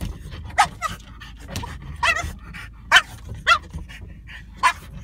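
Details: French bulldog battling a rear windshield wiper, a handful of short clipped barks and yips spread over a few seconds, mixed with panting snorts over a low steady rumble.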